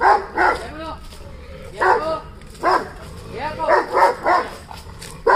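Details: Rottweiler barking at another dog: loud, harsh barks in short bursts of one to three, repeated irregularly, with a faint background hum.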